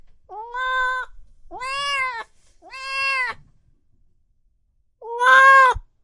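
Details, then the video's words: Loud meowing from cats and kittens: four clear, bright meows, three in quick succession and a final louder one after a pause, each bending upward then settling. "Sounds of Cat Meowing and Kitten Meowing |Baby Cats Meowing |Cats Meowing Loudly"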